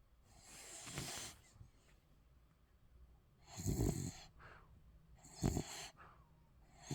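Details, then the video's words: Sleeping Spitz puppy snoring and snorting: three rough, noisy breaths about two seconds apart, the later two sharper and louder, with soft breathing in between. "강아지 코골이+꿀잠"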